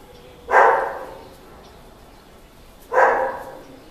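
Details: Male Border Collie barking twice, two loud, short, harsh barks about two and a half seconds apart, with quiet background between them.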